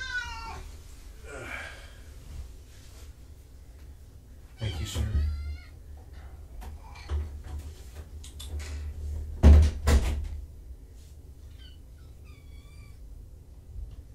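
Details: Rescue kittens Nigel and Hazel, from two litters surrendered in Tacoma and brought to Purrfect Pals, come out of a carrier to explore a room. High, wavering meows come in scattered bursts between loud knocks, thumps and nearby speech.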